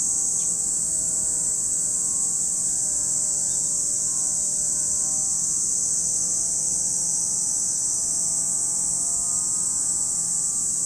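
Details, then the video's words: Lake Kamo, Sado City, Niigata Prefecture, Japan: a dense, unvarying high-pitched cicada buzz runs the full length, over several faint low humming tones that slide gently up and down like distant engines. "Lake Kamo in Sado City, Niigata Prefecture, Japan, where you can hear the voice of cicadas."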